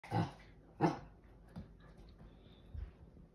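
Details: A female Siberian Husky puppy gives two short, harsh yipping barks, inviting her big sister to play.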